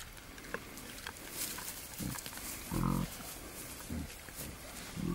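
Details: Courting wild boar, a male pursuing a female in the wild: short, low, resonant grunts roughly once a second, the third the loudest, over steady background rustle.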